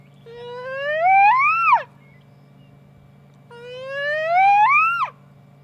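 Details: Young hyena giving two long rising whoops, each sliding upward for over a second with rich harmonics before dropping sharply at the end, separated by a short pause; steady low hum underneath.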